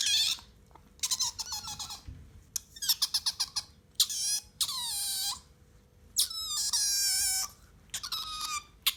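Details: Newly acquired vocalisation from Bingo, a pet otter that has been calling a lot lately: rapid stuttering trills of short squeaks alternating with longer sweeping squeals that dip and level off, in quick bursts across nine seconds.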